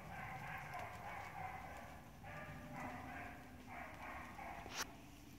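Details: Honey, a six-month-old Beagle, gives short harmonic barks in loose bursts over a steady low background rumble, with a sharp click near the end.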